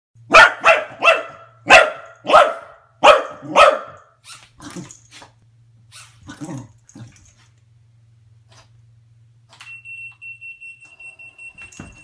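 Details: A corgi attacking a mini drone barks in a rapid string of sharp, loud barks, then breaks into quieter yips.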